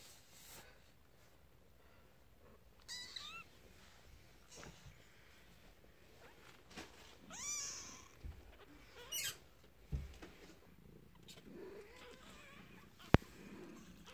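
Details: Newborn kittens in a den give thin, high, rising-and-falling mews scattered through the recording, with brief rustles and a sharp knock amid low background noise.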